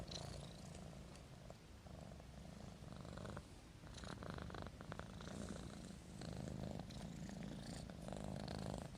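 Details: Asleep, the kitten Marimo gives a continuous low, buzzing purr mixed with raspy, human-sounding snores rising and falling in breathy waves, with light scratchy rustling above.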